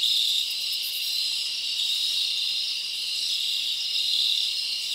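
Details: A summer night chorus of forest crickets forms an unbroken high trill, a constant buzzing wall of chirps with slight swells in loudness and nothing else clearly heard.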